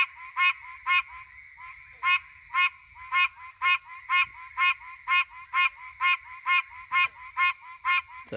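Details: Pine Barrens tree frog, a threatened species, calling at night in the pines, cellphone recording: regular series of nasal, honk-like notes about two per second, a brief gap near the start, then a final noise burst at the end.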